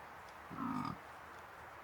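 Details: In the New Forest in autumn, during the rutting season, a dominant fallow deer buck with his harem of does lets out one deep, throaty groan, brief and belching, like a hoarse grunt.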